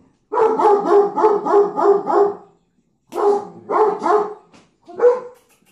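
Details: German Shepherd (Canis lupus familiaris) barking in quick, deep runs, about three barks each second.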